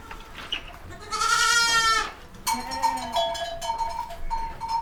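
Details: Baby goats bleating: a long loud quavering bleat, then a second wavering bleat with several shorter overlapping cries after it, carrying bright harmonics.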